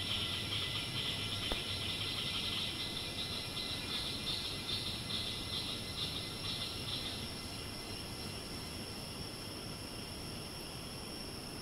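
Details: Screeching cicada in Ton Pariwat wildlife sanctuary rainforest, Thailand: a pulsing, throbbing buzz beating about twice a second for roughly seven seconds and then fading, layered over a constant shrill hiss and low ambient rumble.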